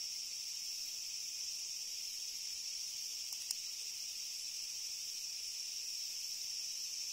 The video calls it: 【昆虫採集】茶色と緑色のクツワムシを探したら楽勝だった Leaf Grasshopper Songs!!